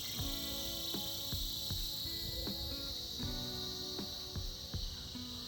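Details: Steady high cicada buzz from a winter chorus, unbroken and shimmering, layered with plucked tuneful music notes at a regular pace.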